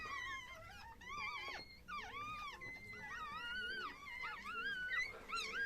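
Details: Chihuahua dog indoors during birth, with newborn puppies present; a series of high, arched whining cries, each rising then falling, repeating irregularly about once a second, with a quiet voice in the background.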